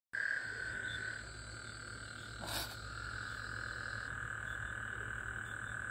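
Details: On the night of Monday, June 24, 2024, after recent rain, Gulf Coast toads give a steady, buzzy trill that merges into a continuous chorus in the middle of the night.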